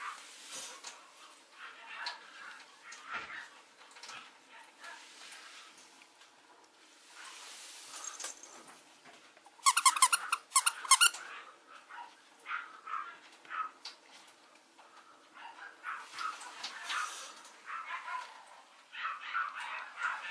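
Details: Male Mame Shiba puppy at a breeder in Japan: scattered soft high squeaks and whimpers, with a loud burst of sharp rapid yelps around the middle, then further thin whines.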